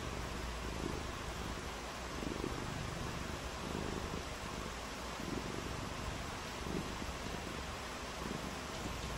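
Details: Cat playing in the rain gives a continuous low purr, its rumbling pulses rising and falling with each breath at a steady one-to-two-second rhythm, set against an even background hiss.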